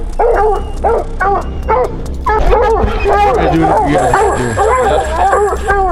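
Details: Hounds on a Colorado mountain lion hunt bay in rapid, overlapping bursts, a steady chorus of arching barks at a lion treed after tracking.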